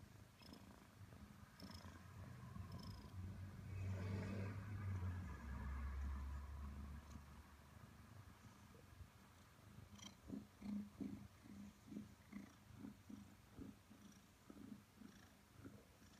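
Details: A 5-month-old Maine Coon cat purrs in a low, steady rumble, pulsing about three times a second, while cuddling with its owner.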